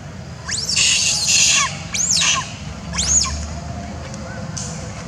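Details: A young orphan female monkey gives shrill, arching screams about once a second, calling for her mother after being persecuted by other monkeys in the troop.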